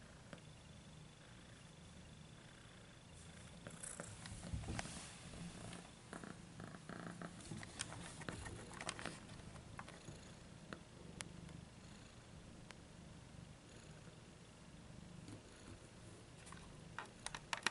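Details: Little domestic cat purring quietly, a low soft rumble under scattered clicks, rustling and handling noises, with brief sharper knocks near the end.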